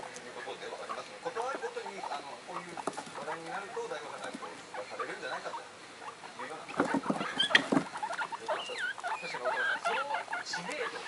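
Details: Three excited pet guinea pigs, Komachi, Yokihi and Cleo, aged one to one and a half months, the youngsters calling in high voices: short chirps and rising, falling whistled squeaks over soft clicking patter, with television sound in the background.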